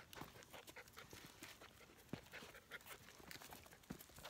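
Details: Standard Poodle pups aged 13 weeks walking a hiking trail, giving fast, hissing pants in steady bursts over footfalls and light outdoor noise.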